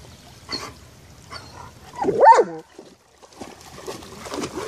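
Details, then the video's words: German Shepherd named Génie, a female, playing excitedly in a water puddle; a single loud rising-and-falling bark midway, with faint splashing and rustling before and after. "berger allemand jouant dans une flaque d'eau"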